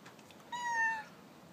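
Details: Pet cat meowing indoors while its owner talks to it: a single clear, steady meow about half a second long, held level, with a quiet room behind it.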